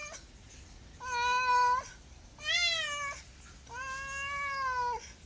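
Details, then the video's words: Three long, drawn-out meows from a house cat, the middle one higher and more strained, the others flat and sustained, with a faint hiss of room noise between calls. "SOUND CAT - MEOW CAT"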